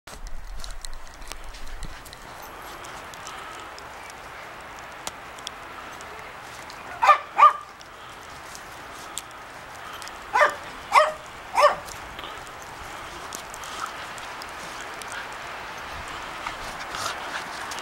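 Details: A pack of Shetland Sheepdogs playing outdoors during the first real snowfall of the season: two sharp barks, then three more in quick succession a few seconds later, over a steady background hiss.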